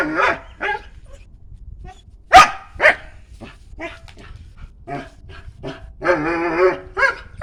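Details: A dog barks and yips over a low rumble of background noise, with a single loud bark in the middle and a drawn-out, wavering whine near the end.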